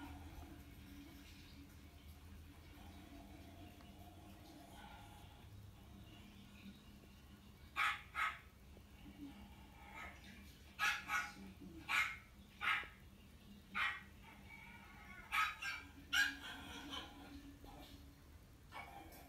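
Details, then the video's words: Chihuahua Kohaku barking while shown footage of its younger self: a burst of about ten short, sharp yaps clustered in the second half, after a quiet stretch with faint background music. "犬に若い頃の自分を見せたら意外な反応！？｜Reaction when a dog watched oneself of the youth"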